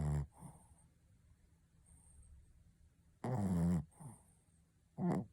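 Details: Shih Tzu named Pontа snoring indoors: two loud rasping snores with low buzzy harmonic bands, separated by about three seconds of quiet with faint breathing between them.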